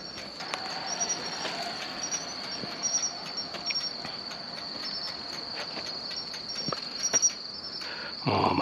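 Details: Matsumushi, or pine cricket, singing beside a road at night during insect collecting in mid-October: a steady high ringing trill with brighter short chirps repeated roughly every second, other insects and footsteps faint, a loud crunch at the end.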